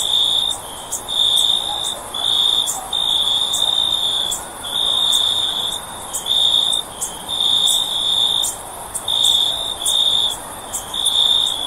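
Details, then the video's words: Insect night ambience of a cricket: a piercing continuous trill chopped into repeated half-second to one-second pulses, with crisp clicks layered above and a low hiss beneath. "Cricket Sound For Sleep"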